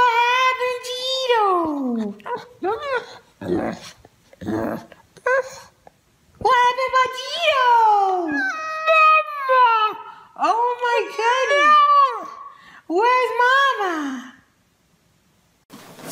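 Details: Domestic dog 'talking' in a small room: a series of whiny, moaning vocal phrases, some sliding steeply downward, others arched, in irregular bursts separated by short silences, with a person's voice mixed in.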